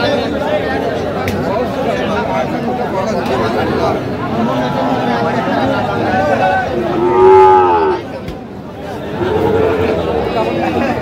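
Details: At a Naogaon cattle market, 24 June 2025, a Sahiwal bull calf gives one short, harmonic moo late in the recording, nearly buried in loud continuous human talk and market bustle.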